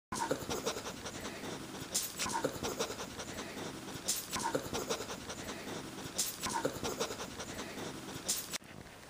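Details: Pet dog panting, from a household with two dogs, Max and Sadie, a German shepherd and a dachshund, at home. Breathy rasping strokes in a steady rhythm, with louder bursts about every two seconds, over faint room noise.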